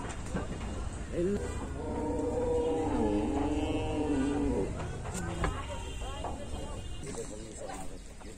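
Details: Cattle being unloaded from a vehicle; one long, drawn-out moo lasting about three seconds with a slight dip in pitch midway, with human voices and metallic clatter before and after.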